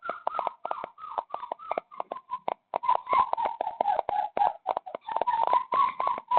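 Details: Stray puppy that wandered in late at night and was taken in, in Dauin, Philippines, crying without stopping: rapid, uneven run of short whiny yelps near one pitch, some with slight upward bends, in a small indoor room.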